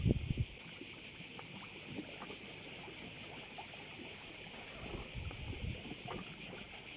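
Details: Crickets at a bay on Korčula, Croatia, make a steady, high, hissing chorus with a faint pulsing texture. It runs unbroken through the clip over soft low rumbles and wind.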